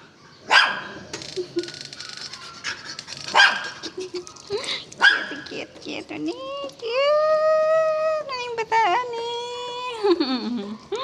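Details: Belgian Malinois gives several harsh bursts amid a person's repeated spoken command, then a long, steady, harmonic whine that sags in pitch and ends with a short downward slide.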